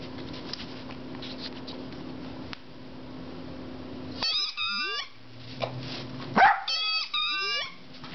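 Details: Loki, a 10-week-old puppy, is loudly frustrated by a rubber squeaky pig toy. After four seconds of quiet room hum come two bursts of high, sweeping yelping barks that bend sharply up and down, each lasting about a second.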